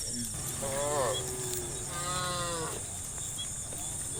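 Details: Farm cows herded toward their pen; two fairly faint lowing calls, the first short and falling, the second longer and steadier, against a noticeable background hiss and low rumble.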